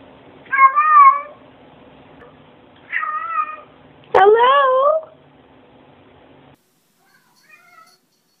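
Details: Cats meowing as if saying hello: three separate drawn-out, wavering meows about a second apart, the third louder with a falling then rising tone, in a quiet room.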